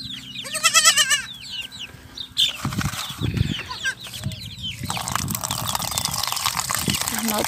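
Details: Goat kid rejected by its mother and being bottle-fed, giving a short quavering, harmonic bleat near the start, followed by rustling handling noises, human speech and background music.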